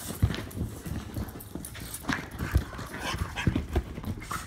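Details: Play-fight of a Jack Russell Terrier mutt with an English Bulldog, heard as low guttural growls and huffing breaths punctuated by sharp thuds of jostling bodies.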